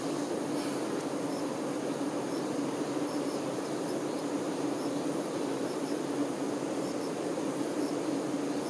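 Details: Honey bee workers tending their queen: a dense, steady hive hum with a low droning pitch that holds unbroken for the whole stretch, with no other clear sounds.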